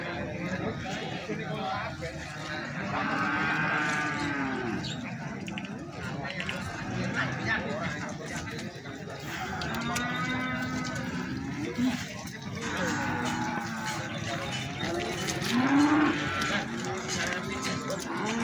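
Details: Several separate drawn-out moos from feeder cattle for sale at Plaosan cattle market, Magetan, spaced irregularly every few seconds, heard amid human chatter and the busy hum of the market.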